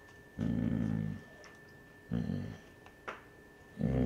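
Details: Basset Hound mother growling to protect her pups from an older dog, indoors: low rumbling growls in separate bursts of under a second, with quiet gaps and faint household noise between.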